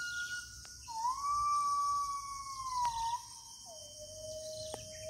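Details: A gibbon in the deep forest of Kalimantan holds long, smooth notes that rise gently and sag at the end, then drops to a lower sustained tone, against a high insect chorus and occasional clicks.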